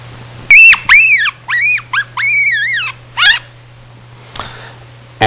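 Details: Yellow-bellied marmot pup, within about nine days of first emerging from its burrow, screams in a run of harsh, arched, rising-then-falling cries, some breaking into rough noise; from long-term studies at the Rocky Mountain Biological Laboratory.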